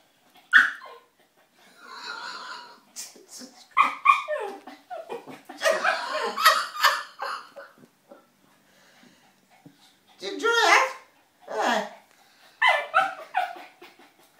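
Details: A 9-month-old Lhasa Apso puppy getting frisky and overly friendly with a person gives sharp, high yips and short barks mixed with rough, growly grumbling.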